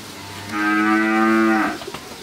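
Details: Thirteen-month-old Friesian heifer calf, healthy and vaccinated, on a farm in Pabna, Bangladesh: one drawn-out, steady moo lasting about a second, then a brief rustle and a man's voice.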